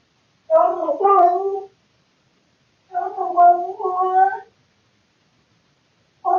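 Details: Bored male house cat vocalizing indoors in the middle of the night, recorded by a surveillance camera: two choppy, warbling, broken yowls of about a second each, with the start of a third at the end.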